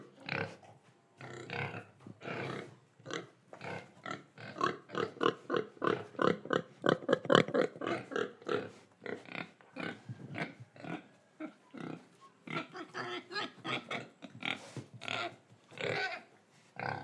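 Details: Indonesian pig oinking while breathing and eating, a dense run of short, rough grunts repeated several times a second, louder in the middle, with snuffling between.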